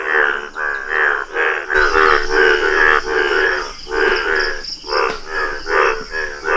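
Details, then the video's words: Yellow Indian bullfrog croaking: loud, harmonic, groaning croaks repeated roughly once a second in overlapping bursts. A steady high-pitched insect-like whine runs underneath. "Rare Yellow Frog Wonderful Indian Bullfrog | amazing frog sounds!"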